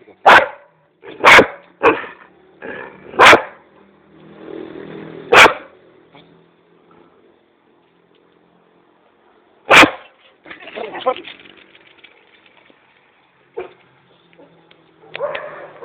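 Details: A Dobermann in Kiato chases a cat, giving sharp, explosive barks in a quick cluster at first. These are followed by a pause, then a single loud bark and rougher, scattered growly sounds toward the end.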